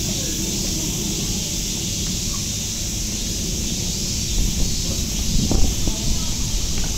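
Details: Cicadas at Nogeyama Zoo sing a steady, unbroken high buzzing hiss that fills the whole stretch, over low rumbling background noise that swells slightly near the end.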